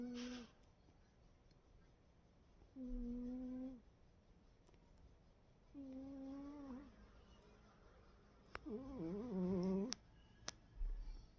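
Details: Sleeping cat snoring: drawn-out, hum-like tonal moans about a second long, recurring roughly every three seconds with quiet gaps; the last is wavering and a few soft clicks follow.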